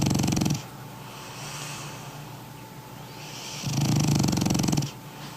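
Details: Sleeping French Bulldog named Toy, weighing 20 kg, giving two deep, rattling snore bursts about three seconds apart, with soft breathy exhales between them and no other sounds.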